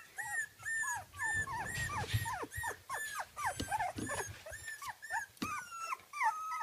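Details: Kooikerhondje puppies, 24 days old, at a kennel in Sweden, whine, whimper and squeal in high, overlapping, rising-and-falling cries.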